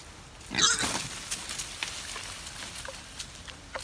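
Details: A wild boar foraging in the forest gives a brief, harsh squealing grunt, followed by soft rustles and clicks.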